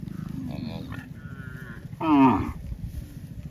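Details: Cow on the way to the farm with cowherds across broad green rice fields, a faint early call followed by one loud, short, rough moo, with a low background drone.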